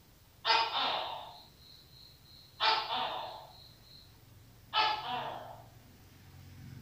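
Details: A Tokay gecko gives loud, harsh barking notes, spaced about two seconds apart.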